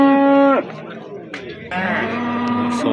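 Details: Bulls at the Amudaryo Kitay livestock market on 27 April 2025: a loud, steady moo that drops sharply at its end, then after a pause a lower, drawn-out second moo, with traders' voices around.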